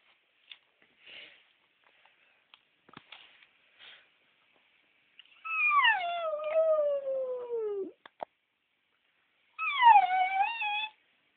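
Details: Penny, a female West Highland White Terrier left home alone indoors while the other dog was at the vet, whimpers and howls: a few faint short squeaks, then a long harmonic howl sliding downward for over two seconds, and a shorter falling howl near the end.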